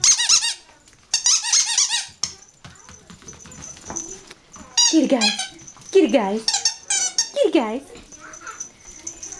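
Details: Yorkshire Terrier puppies at play give high squeaky yips, then a run of sharp descending whines, each sliding steeply down in pitch, while a woman talks and coos to them in between.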